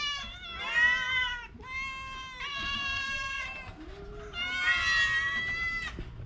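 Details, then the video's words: Orange cat ill with a cough and cold utters three long, plaintive meows, each lasting over a second with a bright, strained tone and a slight fall at the end. "Kucing Oren Lagi sakit batuk pilek"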